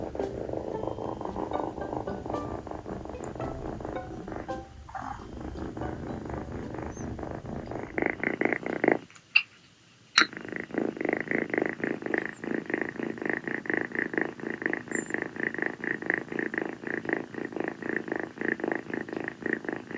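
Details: Rescued female calico kitten Kii purring on a sultry tropical night after play, curled affectionately on a person's feet; an unrelated blended sound fills the first half, then steady pulsed purring follows a short silent break and a couple of clicks.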